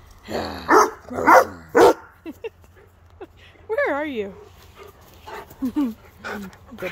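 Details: Rhodesian Ridgeback greeting its owner at pickup from the pup sitter: three loud, gruff woofs in quick succession, then a long wavering whine that rises and falls. A person's playful, affectionate talk runs through it.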